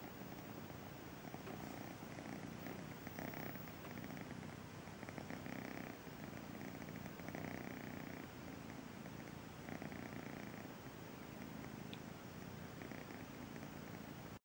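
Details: Feral cat Missy's kitten Braveheart purrs on first meeting the sofa: a continuous throaty rumble that swells and fades in breathing cycles about every one and a half seconds.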